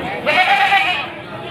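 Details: At Pasar Wage market in Panggul, Trenggalek, Indonesia, on 18 May 2020, a male Etawa goat awaiting Qurban sale gives one strained bleat lasting about half a second, with people talking nearby.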